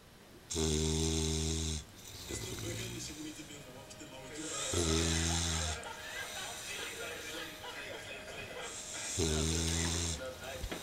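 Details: Old English Bulldog Leavitt asleep in a slightly too small dog basket, snoring loudly: three deep, rattling, droning snores about every four seconds, each with a hissing breath, with quieter breathing between them.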